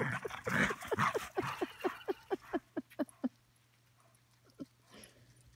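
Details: Poodle in Colorado giving a quick run of about a dozen short tonal yelps, evenly spaced, then a pause and a couple of fainter ones, with voices over the opening second.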